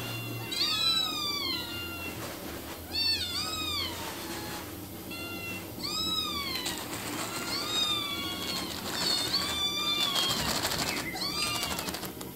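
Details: Several cats and kittens meowing almost continuously, bright, high, bending calls overlapping every second or so, louder toward the middle with a busy rustling wash in the background.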